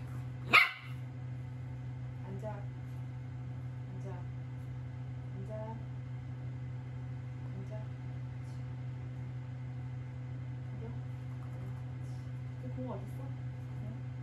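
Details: Bokseung, a young female mixed-breed puppy adopted from a shelter, plays at home before she can go on walks; one sharp bark near the start, then a quiet room with a steady low hum and faint voices.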